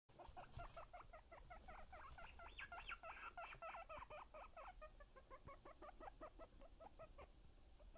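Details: Pet guinea pig being teased with food, calling in a rapid run of squealing, rising notes, about three or four per second, growing louder and higher mid-clip before settling into shorter squeaks over faint background noise.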